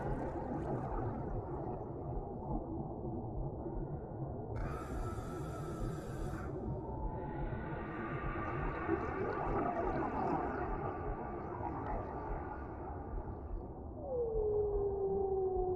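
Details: Whales in the deep sea, their calls echoing slowly over a calm ocean ambience: long, harmonic moaning tones and a smooth descending whistle-like sweep near the end, over a constant low rumble of water.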